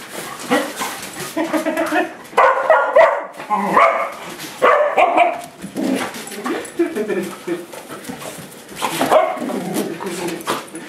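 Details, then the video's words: Pet dogs barking in anger at a broom during play at home, short sharp barks in bursts with pauses, mixed with people talking and calling out over them. "Dogs get mad at Broom"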